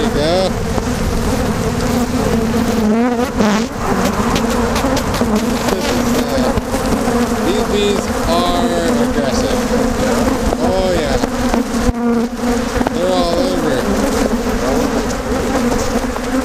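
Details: Aggressive Africanized honey bees swarming during honey removal from their colony: a dense, loud, continuous buzzing drone with wavering overlapping tones, bees all over, with people talking nearby.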